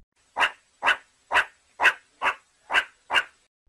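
A meerkat gives a run of sharp, barking calls, repeated about twice a second.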